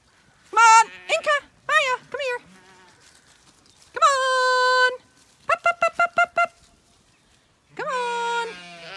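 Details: Zwartbles lambs in County Kilkenny, Ireland, finally moving through a gate as horses approach: short quavering bleats, one long sustained bleat, then a rapid stuttering series and a final drawn-out cry, while a woman urges them on and calls to a dog named Maya.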